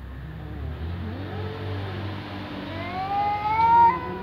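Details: Ginger cat and black cat meowing at a door: a drawn-out rising then falling meow near the end, preceded by softer wavering mews, over a steady low engine-like hum.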